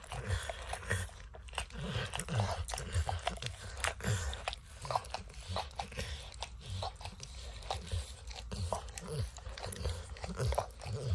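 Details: Eager licking from Max, a dog, enjoying peanut butter and kibble in an orange mat: dense irregular slurps and clicks with occasional crunching, backed by a low muffled rumble.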